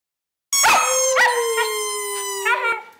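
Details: Female pet dog howling along to a squeezed bowling-pin squeaky toy, recorded 23 January 2010: a long sustained tonal howl holding steady then sliding slightly lower, with sharp squeaky toy wheezes breaking in near the start and end.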